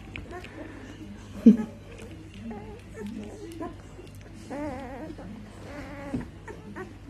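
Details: Australian Shepherd puppies from a litter of seven males born on 4 March 2018 give high, wavering whines and squeaks while a woman speaks softly nearby.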